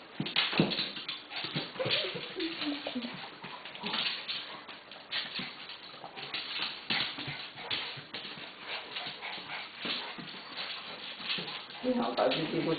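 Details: Ten-month-old male Golden Retriever puppy playfighting with a smaller Lhasa Apso: a thin, descending whimper near two seconds and brief whines later, over constant scuffling, panting and thumps from the rough play.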